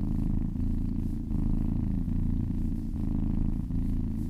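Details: Soft, dense purring of a massaged kitten, a low vibrating drone pulsing in breath cycles of under a second, with no other sounds.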